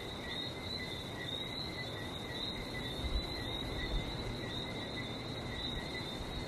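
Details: Frogs calling in Barbados: a steady, unbroken high-pitched trilling chorus with two bright, even tones, over a soft low rumble of sea, with no pauses across the stretch.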